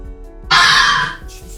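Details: Red fox cry, a sound said to resemble a human scream in the night: one harsh, hoarse, rasping shriek lasting under a second, broad and noisy, rising abruptly from a quiet start with faint room murmur.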